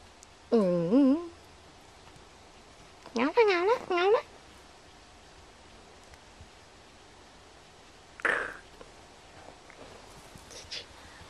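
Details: Five-week-old AKC micro teacup poodle Mocubi, 10.5 oz, playing inside: two wavering, quavering whimpers a few seconds apart, then a short squeak, over a faint background hum.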